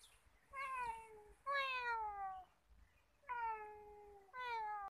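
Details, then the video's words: Free-roaming talkative male cat at Nigeen Lake in Srinagar, Kashmir: four drawn-out meows in quick succession, each a rich harmonic tone sliding gently downward, with low background noise between calls. "Cute talking cat"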